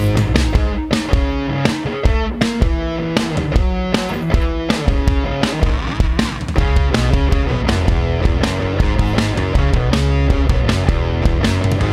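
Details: Loud distorted electric guitar rock music with heavy drums and a driving rhythm, with no animal sound heard.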